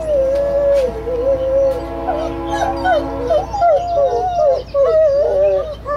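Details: Two Great Pyrenees dogs howl at a train horn sounding a few blocks away, in long, wavering, mid-pitched, wolf-like tones that rise and fall, overlapping the steady horn.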